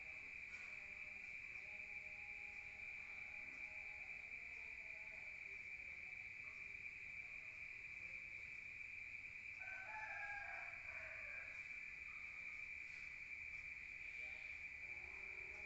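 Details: Rural night crickets heard indoors from outside: a continuous shrill ringing tone that holds evenly throughout, with soft lower warbling sounds around the middle.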